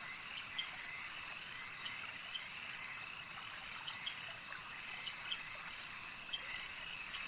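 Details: A steady chorus of frogs at a lake: layered high trills hum without pause while a few louder clicks punctuate it every second or two, over soft background noise.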